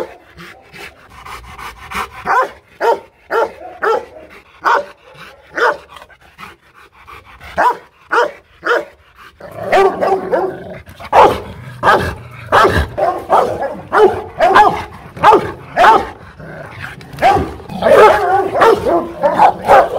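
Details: Aggressive Rottweiler at a Hanoi kennel barking in bursts, sparse single barks at first, then a dense overlapping run of deep barks from about ten seconds on, several dogs possibly joining.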